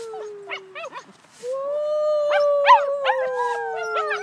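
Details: Puppy named Gus howling with his littermates: long steady howls near 500 to 1,000 up to 1,200, overlapped by short arched yips and whines repeating rapidly, several voices at once, a brief quiet gap near the middle.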